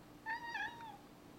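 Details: A 4-year-old male cat, Zebulon, meows indoors while looking for a lizard that went outside. One short, quiet, slightly wavering meow, clear against a low room hum.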